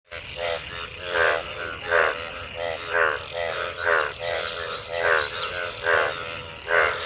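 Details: Frogs calling in rain-filled water after monsoon rain, gathered to mate; nasal, harmonic croaks repeat in bursts roughly every three-quarters of a second, with several callers overlapping.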